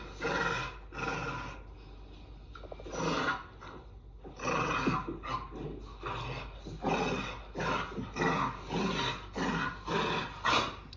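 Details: An adult dog and a puppy trade rough, raspy growls in bursts during play; despite the worrying sound it is play, not aggression, with bodies held sideways.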